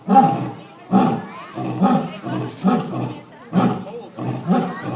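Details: Female and male lions at a zoo roar in a series of deep, breathy grunts, repeated roughly once a second.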